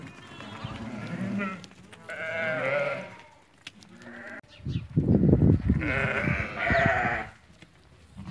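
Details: Ewes that have lambed, part of a group of 80 for sale at market in Fquih Ben Salah, bleating in two harmonic, wavering calls around the middle and near the end, with low rumbling noise and some voices.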